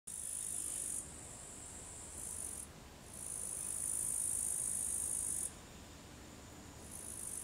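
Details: Tettigonia cantans bush cricket singing in the afternoon at 15:20 on 4 August 2013 in Savonlinna, Finland: a high, continuous buzzing trill in bursts of one to three seconds with short breaks, over faint low background noise.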